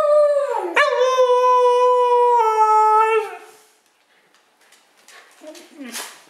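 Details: Siberian husky howling indoors: a long, steady, slightly falling howl with rich harmonics lasting about three seconds, then quiet with faint rustling and a short whine near the end.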